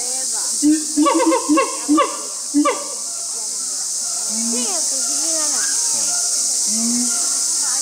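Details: Siamangs Brave and Heart at Chiba Zoological Park, Chiba, Japan, on 2 August 2020, opening their show: a burst of loud harmonic hoots in quick succession, then softer, widely spaced rising-and-falling notes, all over a steady high-pitched hiss.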